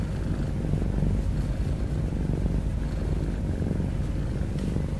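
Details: A cat snores and breathes heavily in a dense, low, purring-like rumble whose fast pulsing stays constant and uninterrupted.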